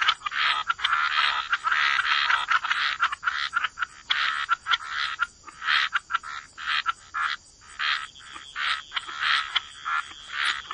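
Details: Frogs croaking together at a wetland waterside: a thick, continuous rasping chorus for the first few seconds, then breaking into separate short croaks spaced roughly half a second to a second apart.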